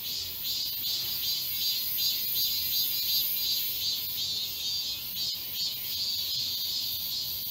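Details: Summer chorus of many cicadas in a wooded park in Seoul, Galsan Park in Yangcheon-gu: unbroken shrill, hissing drone with gently throbbing loudness, steady throughout, over a quiet low hum of distant surroundings.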